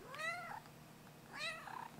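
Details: A pet cat answering its owner with two meows, each a drawn-out, bending wail that rises then falls, separated by about a second of quiet indoors.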